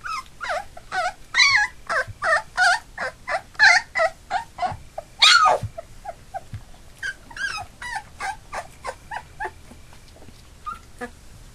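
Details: Labrador Retriever puppies nearly three weeks old, from a litter of eight, give loud rapid whining yelps in a steady string, then softer scattered squeaks as the crying tapers off.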